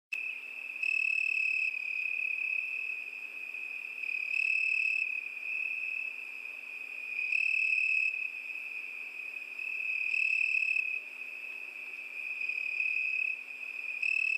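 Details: Crickets singing on a summer night: a steady, high, shrill trill that never stops, swelling louder for about a second roughly every three seconds. No other sounds.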